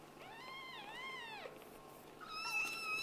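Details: Kitten from a litter of Scottish Fold and British Shorthair parents, meowing indoors: two long wavering meows, then a higher, sharper meow after a pause.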